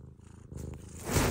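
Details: Domestic cat purring in a funny pet compilation: a steady low rumbling pulse through the first second, then a louder rustling burst near the end as a person talks softly to it.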